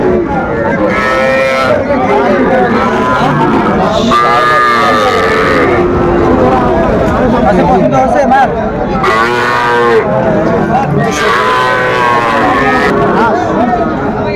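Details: Sahiwal bull calves at a cattle market near Dhaka, Bangladesh, 11 November 2024: several short harmonic moos rise and fall amid constant crowd chatter and a man talking, calls overlapping in the busy market din.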